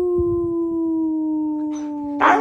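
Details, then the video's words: Siberian Husky "talking" with a long, steady howl that slowly drifts lower in pitch, ending in a brief rough bark-like burst. "Talking husky"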